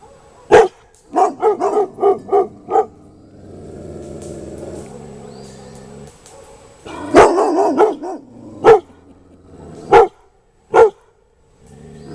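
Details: Pet dogs barking in alarm at an unfamiliar floating object, guarding their family: a loud bark, a quick run of five barks, a pause, then single sharp barks spaced about a second apart.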